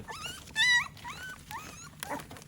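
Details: American Pit Bull Terrier puppies during their morning routine, being given vitamin and mineral supplements, let out a few high, rising whimpering yelps with short gaps between them, over soft background noise.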